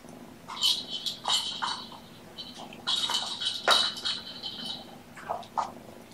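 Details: Kittens born November 22, indoors on a sleepy afternoon on 2018-02-13, give a run of high, thin meows, several short and some drawn out, with pauses between. Faint rustling and room noise sit underneath.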